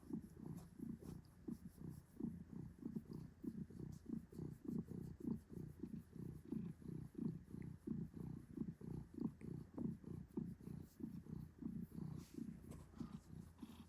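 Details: Pet cat Adam purrs at home, a deep continuous rumble beating in fast regular pulses, each pulse slightly swelling and fading, over a thin steady electrical whine.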